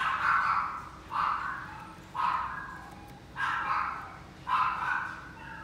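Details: A Chihuahua in a pet shop gives high, yappy barks, about one every second.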